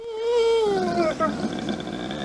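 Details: Pet dogs Moe and Mollie 'talking' as if trying to tell something: a drawn-out, tonal whine that holds steady, then slides lower and fades into softer, wavering moans, in a quiet indoor setting.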